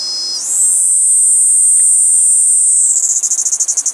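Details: Kaempfer cicada perched on a cherry tree: a buzzing song rises quickly in pitch, sustains a shrill steady tone, then breaks into fast rhythmic pulses toward the end.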